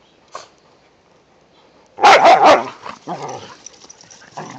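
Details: Whippets romping with a rat terrier in the first light snow of the season: after near silence, a loud cluster of sharp barks bursts out, followed by shorter, softer yips and a faint bark near the end.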